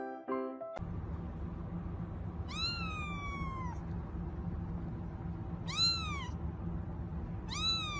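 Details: Kitten meowing three times. Each meow is clear and tonal, first rising then falling slowly, and the first is the longest. A loud background bed of music and noise runs throughout.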